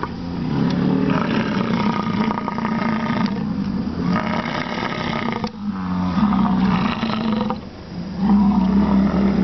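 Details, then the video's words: American bison bellowing in Wind Cave National Park, July 27: long, guttural, rumbling roars run almost continuously and swell in waves, the loudest near the end, over a busy low background hum. "Buffalo Calling"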